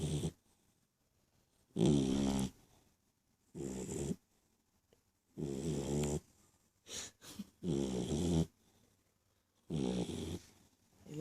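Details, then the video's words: Dog snoring: low, rough, rasping snores in bursts of about half a second to a second, roughly every two to three seconds, separated by near-silent pauses. "chien qui ronfle"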